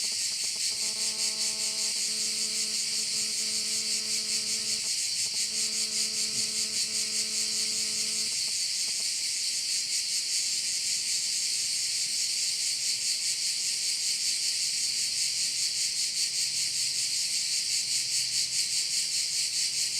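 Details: Korčula bay in Croatia, where crickets keep up a continuous high, rasping chorus with a gentle regular throb; a low humming tone with harmonics sounds for the first eight seconds, then only the insects remain.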